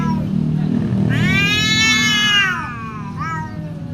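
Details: Fierce fighting domestic cat giving a loud drawn-out yowl that bends upward and slowly sinks over about one and a half seconds, followed by a short clipped cry, with low rumbling background noise.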